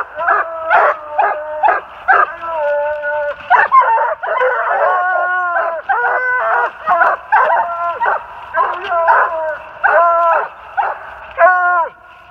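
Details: Walker hounds, an open spotted bitch, a saddle back male with chop and a blanket back male with long bawl, bay up a big den tree in New Jersey in late March 2018; clear rhythmic series of rich, ringing bawls and choppy barks, closely spaced.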